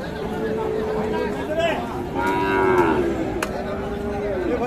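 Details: Pair of sacrificial bulls for Qurbani at Ambari cattle market, Dinajpur: long, steady, low moo held for several seconds, rising slightly in the middle and falling away, with market chatter behind.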